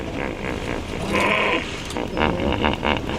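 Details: A herd of hippopotamuses in water in a Kenyan park, disturbed by people nearby, give nasal, pulsing honks and grunts, a territorial, defensive display warning intruders off the shore.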